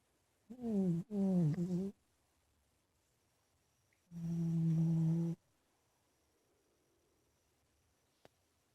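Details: Big male house cat Ninnie snoring while asleep in his bedroom, giving a wavering, buzzy double snore followed three seconds later by a steadier droning one, then a quiet room with a single soft tick.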